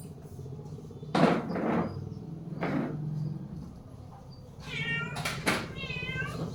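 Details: Domestic cat in the morning: two short bright meows near the end, each a rich, wavering harmonic call, preceded by a few soft rustling bursts and quiet household background.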